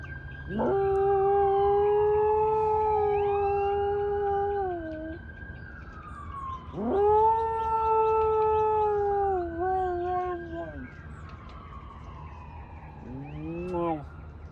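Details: A pet dog howls in long drawn-out notes, two steady sustained tones of several seconds each that dip slightly at their ends, followed by a short rising yelp-like howl near the close; low steady background hum throughout.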